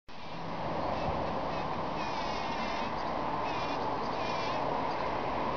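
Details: Bees packing in pollen, a dense, steady buzzing hum that runs without pause, with wavering higher overtones rising and falling as the insects shift about.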